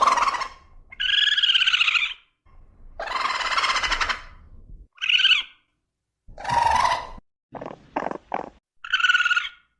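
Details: A raccoon (Procyon lotor) gives a series of harsh, raspy squeals and churring bursts with brief pauses between them.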